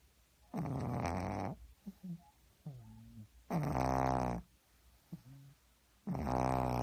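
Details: Sleeping pug snoring hard in a small room, loud grating inhalations roughly every three seconds, separated by quieter short snuffling breaths and little nasal squeaks.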